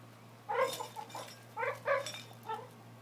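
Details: A brindle Boxer makes a ridiculous noise with a horseshoe: a run of strange, moaning yowls in short, uneven bursts.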